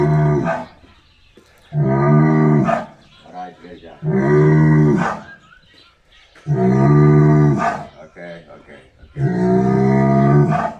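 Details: Bull bellowing loudly, five long deep moaning calls, each about one to one and a half seconds, repeated roughly every two to two and a half seconds, with grunting breaths and short gaps between them.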